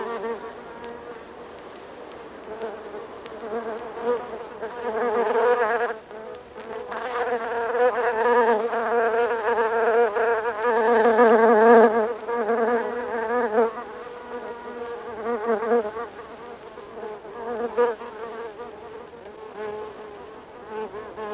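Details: Close buzzing from several buff-tailed bumblebees in a nest, U.K.; overlapping droning hums rise and fall in intensity, with louder surges near the middle and softer stretches between.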